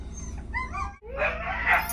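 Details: Siberian Huskies reacting as their owner returns home, scolding him for leaving: a high whining howl with wavering tones, then a harsher rising vocalisation, over a low background hum.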